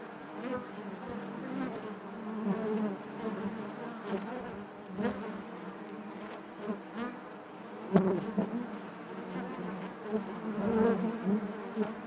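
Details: Many honey bees humming together within the hive, a thick low buzz with wavering tones that rise and fall, punctuated by scattered soft taps and one sharper knock midway.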